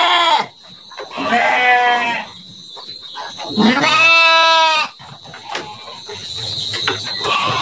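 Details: Garut sheep (domba Garut) penned in a pen in Central Java, Indonesia, being readied for the 2024 Qurban sacrifice; two loud, harmonic, wavering bleats, the second longer, with pen noise and faint background sounds between.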